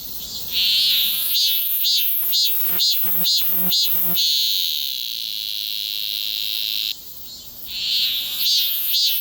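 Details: Cicada singing, recorded on a Galaxy S24 Ultra phone: a run of about eight sharp, regular buzzing pulses, then a steady shrill drone for about three seconds. The drone drops away briefly, and the pulsing then starts again.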